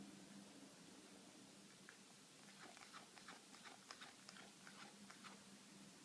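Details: Pet cat eating a piece of steak, making an odd chewing noise: after a quiet start, a run of sharp, irregular clicky crunches begins around the midpoint and continues to the end over a steady low hum.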